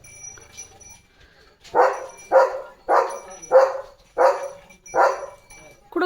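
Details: German Shepherd Leo at home, limping from a paw injury, lets out six loud, regular barks spaced roughly every 0.6 seconds after a quiet start, with faint talking before them.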